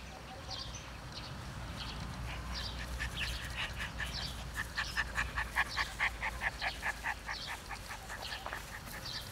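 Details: Siberian Husky puppies playing at a kennel: a rapid run of short, high, tonal yaps repeated about twice a second, rising to a steady burst midway, with fainter squeaky chirps and a low steady hum beneath.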